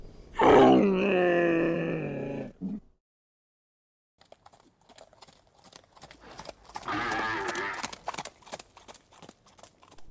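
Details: Dromedary camel groaning: a loud, rough, gurgling bellow lasting about two seconds, then a pause, then scattered clicks and a second throaty, bubbling groan.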